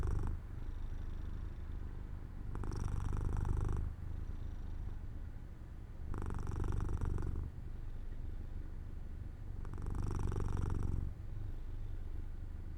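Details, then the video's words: Purring of Jojo the cat as it drifts to sleep in sunlight beside an open window, a soft low drone rising into three louder, grittier pulses spaced roughly three and a half seconds apart. "My Cat Makes Sounds"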